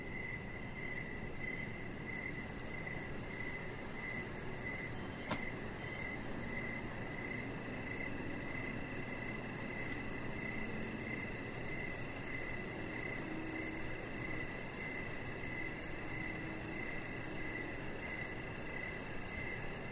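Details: Evening crickets outside by a deck: regular high-pitched chirps repeating roughly every half second for the whole stretch, a fainter rapid ticking trill higher up, one brief click midway, all above a steady low background hiss.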